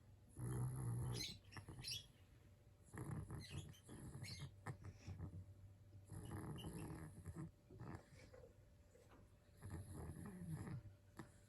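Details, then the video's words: Small pet Yorkie snoring in repeated rough, low breaths about every three seconds, with some light snuffling and clicking noises mixed in. "Yorkie dog snoring"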